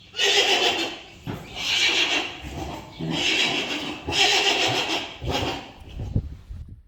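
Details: Friesian horse giving a series of bright, high whinnies, about five bursts spaced a second or so apart, with faint low rumbles and a voice in the background.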